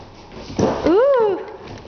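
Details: Dobermann with untrained guard dog instinct: a single arching whine that rises then falls over about half a second, after a brief scuffling noise, with a woman speaking nearby.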